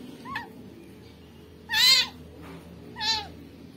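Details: Rescued newborn kitten, found with maggots on its body, giving a faint short cry followed by two loud, high, arching meows spaced about a second and a half apart, with a quiet low hum beneath.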